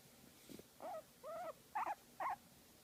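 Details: Guinea pig enjoying a massage, giving four short squeaky calls around half a second apart, each a wavering mid-pitched note, after a faint soft sound at the start; quiet room otherwise.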